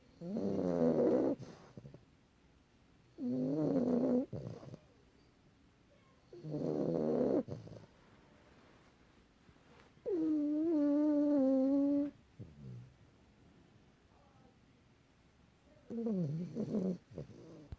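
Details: A domestic cat snoring: rhythmic raspy breaths recur about every three seconds, with one longer, smoother breath that has a clear rising and falling whine. The room is otherwise quiet.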